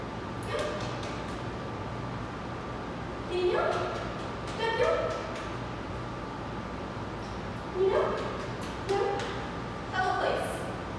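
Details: Jeb, a roughly two-year-old Bluetick Coonhound in a two-week board-and-train program, gives short, sharp barks in pairs, about five in all over eleven seconds, over steady background noise.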